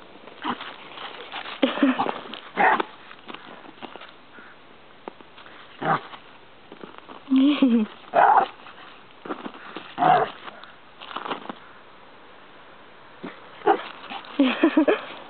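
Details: Small boarding dogs at play in a dog run over Christmas: high, squeaky yips and short barks come in clustered bursts, some with a thin whining tone, while a woman talks to the dogs between them.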